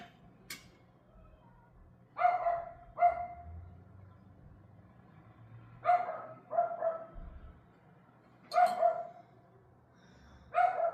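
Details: An evening dog, recorded May 18 at 6:44 pm, barks in quick pairs: three double barks, sharp and full-toned, separated by quiet gaps of about two seconds, over a faint hum.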